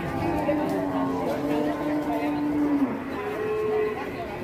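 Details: Aggressive cattle lowing: a long, steady, tonal moo holds level for over a second, then drops at its end, followed by a shorter, higher call. Men's voices talk over it against a constant background rumble.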